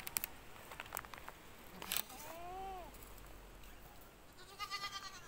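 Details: Goat bleating in a pen shortly after the goats gave birth: one wavering, arching bleat lasting under a second, rising then falling in pitch, preceded by sharp clicks and followed by soft background rustle.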